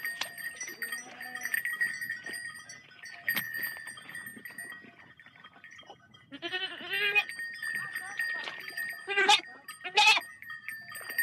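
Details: A large sheep herd walking through water bleats in wavering, nasal voices over steady ringing bells and splashing water.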